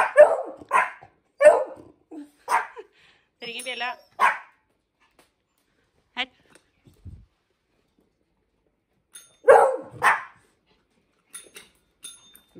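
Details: Dogs in a home, Hendo the 10-month-old Pomeranian and Salto the beagle, during bell-ringing training: short sharp barks in bursts, with a woman's Norwegian commands and praise, "Ring i bjella" and "Bra!", between them.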